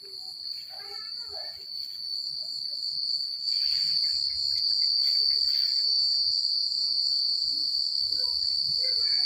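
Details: Country night chorus of crickets: a constant, bright high-pitched trill swells slightly louder after a few seconds. Scattered faint lower chirps from other callers and a soft low rumble sit underneath.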